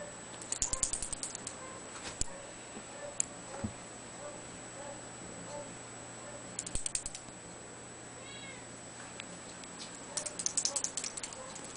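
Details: Two-month-old blue point bicolor Ragdoll kitten gives a single short, high meow with stacked harmonics late on, among repeated bursts of sharp clicking and tapping over a steady background hum.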